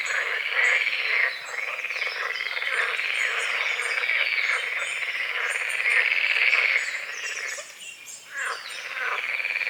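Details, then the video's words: Frogs croaking at dawn over a small lake at a forest edge, with morning fog over the water: a dense, rattling chorus of rapid pulsed croaks, with high thin bird whistles above and a brief lull near the end. "The sounds of morning frogs croaking"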